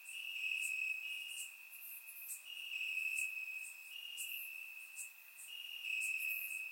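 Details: Crickets chirping in grass on a warm summer night in Bulgaria, captured with a surround microphone: a steady high-pitched trill holds at one pitch, pulsing in stronger and weaker stretches, with brief higher chirps scattered above.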